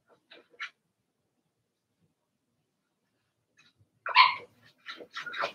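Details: Blenheim Cavalier King Charles Spaniel puppies from Remy's first litter of six, born March 7–8, in a home puppy pen. A few faint, short yips early on, then a burst of sharp, high barks and yelps toward the end.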